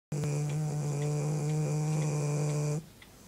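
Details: Harriet, a pet dog, asleep indoors: one long, steady, droning snore with a low humming tone lasting under three seconds, then stopping abruptly, with faint regular ticking behind.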